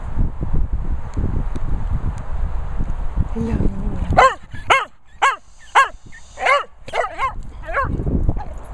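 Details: Cocker Spaniel Benji retrieving in Worcestershire countryside; after several seconds of low rumbling noise and a soft whine, a run of about eight sharp barks follows, roughly two per second, before rumble returns.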